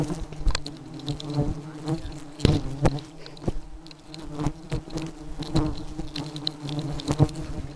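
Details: Very aggressive honey bees buzzing: a steady low droning hum with a layered tone, broken by frequent sharp taps and thumps as bees strike close by, the loudness rising and falling throughout.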